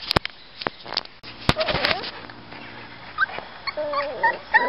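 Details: Seven-week-old Miniature Schnauzer puppies give thin, high whimpers and short yips among scattered clicks and knocks.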